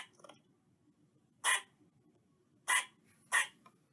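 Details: Eastern squirrel calling: three short, harsh, noisy barks. The first stands alone, and the last two come close together near the end over faint low background noise.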